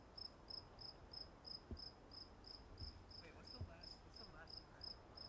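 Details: At Walden Pond, a cricket gives a steady series of high chirps about three per second, while faint thuds and a few soft higher chirrups from other sources sound in the background.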